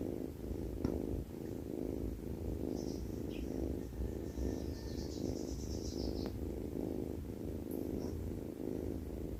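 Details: A cat asleep and snoring gives a continuous low, buzzy rumble in uneven breath cycles, while faint high squeaks and a brief thin whistle sound in the background.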